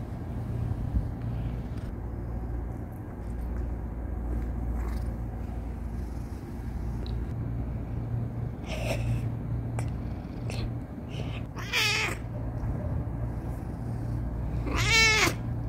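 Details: Male pet cat grumbling when stopped from kneading: a brief low cry near nine seconds, then two wavering, strongly harmonic whining complaints near twelve and fifteen seconds. A steady low hum runs throughout, with scattered small clicks.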